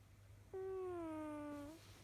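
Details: Kojiro the house cat snoring, heard as a single smooth, nasal whistled tone of about 1.2 seconds with strong overtones, easing slightly lower before fading, against a soft steady hum.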